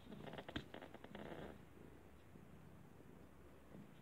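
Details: Domestic cat curious about the sandwich a person is eating, giving a soft pulsed rumbling purr for about a second and a half, then only faint indoor room hush.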